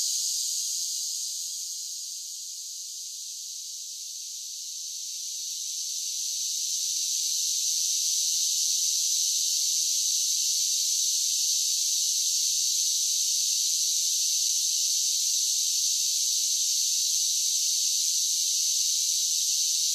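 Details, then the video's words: Summer cicadas singing: a dense, high-pitched buzzing drone that fades briefly early on, then swells back to a steady, unbroken hiss for the rest of the stretch, with no other sounds. "10 Hours of Cicada Sounds for Relaxation with Soothing Summer Nature Sounds"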